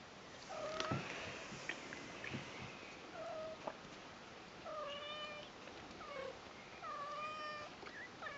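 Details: Persian cat family, Lucy and Kimba, on the newborn kittens' first day with their mother: a string of short high mews, seven or more, spaced about a second apart, with soft clicks and rustling between them.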